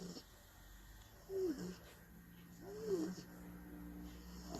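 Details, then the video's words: Snoring of a tired, sleeping bulldog, two whistling, wheezy breaths that rise then fall in pitch, about a second and a half apart, over a low steady hum. "tierd bulldogs snoring"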